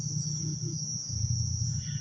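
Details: Crickets chirping all around at night in Taman Rakyat Klang, a steady high shrill tone held without a break, over a low rumbling hum from the surroundings.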